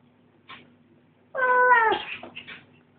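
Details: Female cat vocalising while eating, perhaps keeping her brother from her food: a short click, then one loud harsh meow-growl that holds steady and drops at the end, followed by faint chewing over a low hum.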